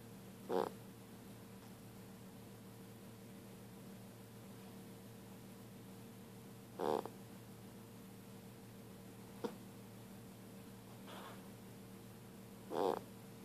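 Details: Sleeping dog indoors giving occasional short squeaky whimpers, three main bursts spaced about six seconds apart with a faint click between, against a constant low hum.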